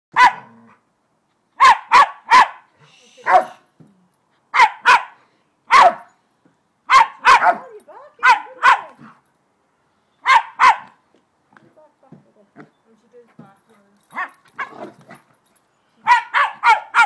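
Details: Two dogs playing together, one large: loud sharp barks in quick pairs and triplets, spaced through the recording with short pauses, a stretch of softer low grumbling and small yips midway, then a fast burst of four barks at the end.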